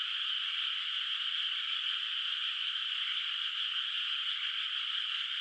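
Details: Moonlit rice field at night, its water not yet planted, filled with an unbroken frog chorus: a smooth, high buzzing wall of overlapping calls, steady in loudness throughout.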